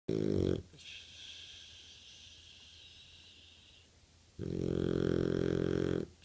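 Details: Boxer puppy snoring while sleeping; a long rasping, buzzy inhaled snore stretching over several seconds, then a quieter pause and another loud buzzing snore lasting close to two seconds.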